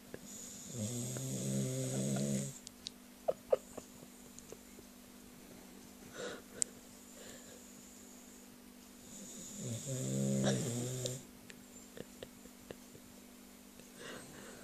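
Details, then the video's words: Dog snoring, likened to a human: two long harmonic, rattling snores around 0.8–2.5 and 9.5–11 seconds with a low buzzy drone, quiet pauses between them holding faint clicks and a steady background hum. "Dog snoring"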